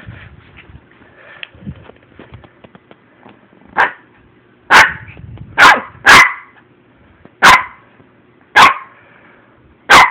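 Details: Ten-week-old male Shih Tzu puppy, playful, giving a series of sharp high yapping barks, about seven short bursts spaced roughly one second apart in the second half, over quiet background with soft rustling and knocks early on.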